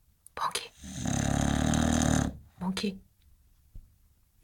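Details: An English Bulldog snores and dreams with a long, rumbling, fluttering breath, while a person's voice talks nearby.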